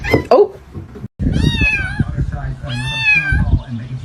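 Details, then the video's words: Cat meowing indoors: two drawn-out, wavering meows with strong harmonics, over a background of speech and low noise. "cats meowing"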